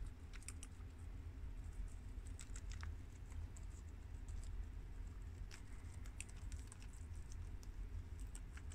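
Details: Four pet guinea pigs (two American boys, a long-haired Mini Yak girl and an Abyssinian girl) chew garden romaine lettuce. Bursts of sharp crunchy bites cluster near the start and again after five seconds against a faint low hum.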